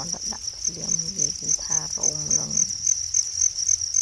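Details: Shrill, evenly pulsed trill from natural crickets runs steadily beneath a man speaking Khmer for the first half, then continues with quieter background murmur.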